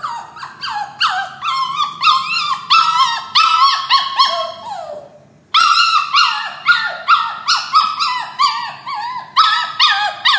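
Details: Puppy sobbing while locked in a cage before leaving for its new owner's home: rapid series of high, harmonic whimpers that each slide downward, a brief silent gap near the middle, then the falling cries resume steadily.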